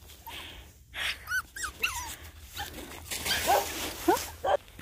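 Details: Several young mixed-breed puppies give thin, high squeaky whines and yips, short rising-and-falling cries repeated in quick bursts, with faint background rustling.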